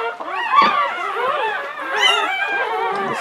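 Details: English Springer Spaniel named Latte whimpering while giving birth to her seventh puppy of a litter of nine in 2013; wavering, high whining tones rise and fall in quick overlapping bursts, with faint human voices nearby.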